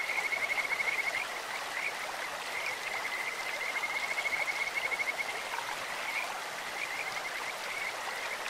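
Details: Kajika frogs calling in a clear stream, a voice likened to birds or insects: a high, rapid, rattling trill repeated in runs of one to three seconds over a steady rush of flowing water.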